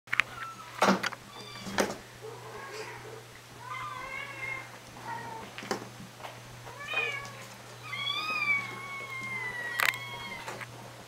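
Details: Two female short-haired munchkin kittens, 20 and 13 weeks old, indoors, giving repeated thin high meows, some rising then falling, others drawn out, scattered across the recording amid clicks, rustling and a low steady hum.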